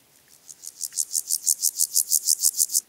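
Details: A marsh meadow grasshopper (Pseudochorthippus montanus) at Andechs, Germany, on 21 September 2018 gives a high, dry rasping song of evenly spaced buzzy pulses.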